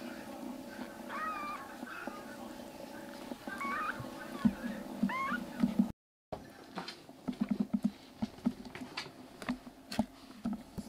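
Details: Three rescued black kitten brothers in foster care, eyes and digestion now improving, crying loudly indoors: a few high, wavering meows with rising-falling bends in the first half, then a cut and scattered light taps and knocks, over a steady low room hum.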